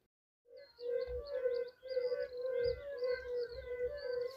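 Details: Yellow-bellied toad, the mountain species of fire-bellied toad in Poland, with a tone slightly different from its lowland relative: a chorus of soft, low hooting notes in short repeated bursts, with faint wavering high chirps above.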